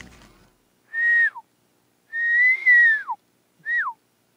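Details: Elk mewing back and forth in bushes along a tree line at the edge of a calm mountain lake at sunset, as they rise from afternoon bedding to feed: three clear, whistled calls that hold steady, then slide sharply downward.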